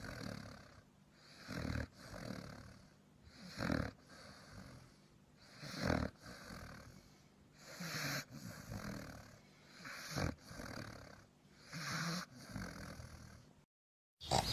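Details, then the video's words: Sleeping dog snoring: rough, breathy broadband snores repeated roughly every two seconds in a steady rhythm, each a short noisy burst, with a brief silence near the end. "Funny Snoring Dog Compilation"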